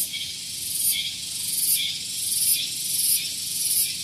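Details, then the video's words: Loud cicada song in the morning at Gunung Geulis, Bogor, West Java, near parked vehicles: a piercing high buzz swelling in regular pulses roughly every two-thirds of a second over a steady hissing drone. "Santuy Pagi Ditemani Suara Tonggeret"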